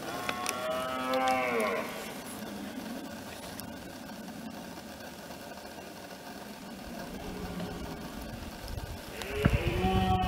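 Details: Red deer stag bellowing during the rut in France, 2017: a short, deep, harmonic roar that rises and falls, then a quiet stretch of background noise, and another roar starting near the end.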